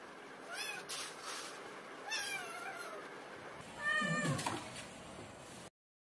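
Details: Repeated plaintive cat meows, each short and bending downward in pitch. A louder, rougher cry near the end is mixed with rustling, then the sound cuts off abruptly.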